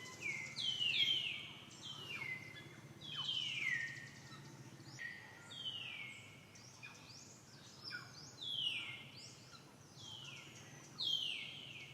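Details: Female monkey Dee Dee, with her baby Deidra, threatened by another monkey named Sankra: loud, high, tonal screams that slide downward, repeated every second or two in uneven bouts over a low background hum.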